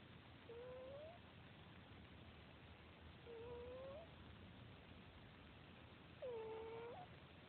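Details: Domestic cat snoring softly indoors: three thin whistled nasal tones, each about half a second, gently rising or falling, spaced roughly every three seconds with each breath, over a quiet hiss.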